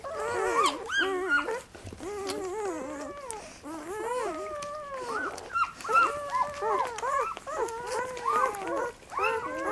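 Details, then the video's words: Puppies at feeding time, several calling together: dense overlapping high whining whimpers and squeals, wavering up and down, continuous over the whole stretch with brief dips. "Puppy Feeding Time"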